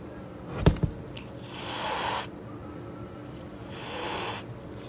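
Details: Angry stray mother cat on the street guarding her kittens and keeping everyone away: two long breathy hisses, each lasting under a second, with a pair of sharp knocks just before the first and low background rumble.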